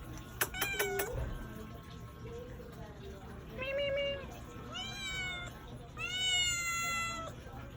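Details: A domestic cat meows several times, starting with short low mews after a few clicks, then two long, clear harmonic meows that rise and fall, over a faint steady background hum.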